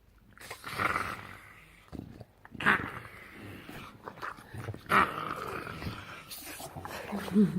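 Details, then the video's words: Domestic bulldog producing odd gremlin-like sounds: low, gravelly growls and snuffling grumbles in irregular bursts, with sharper squeaky notes between, a person's voice joking over it. "Bulldog making weird sounds looking like Gremlin"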